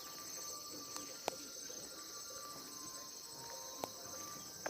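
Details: Insects in Uttarakhand, India, keep up a dense continuous high-pitched shrill chorus with rapid pulsed trills, a few sharp clicks and a faint tonal whistle underneath.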